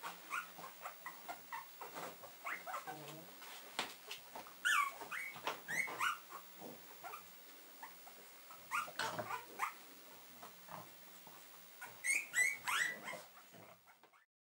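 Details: A Cavalier King Charles Spaniel litter at a breeder in Bavaria gives thin, high whimpers and squeaky yelps in irregular bursts.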